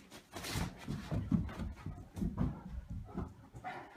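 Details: Two Great Danes tussle on a bed indoors, giving low, rumbling grumbles and short groans as they play.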